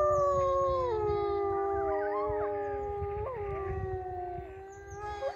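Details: Wolves howling in an enclosure at Polarpark, the northernmost wildlife park in Arctic northern Norway, between Narvik and Tromsø, on an overcast April day; several overlapping long, smooth, sustained tones sliding slowly downward, with wind rumble beneath.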